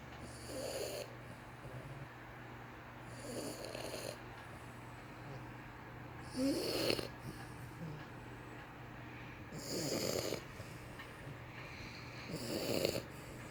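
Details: French Bulldog asleep, snoring indoors: soft snorting snores repeat about every three seconds, each a short wheezy rasp, with a steady low hum behind.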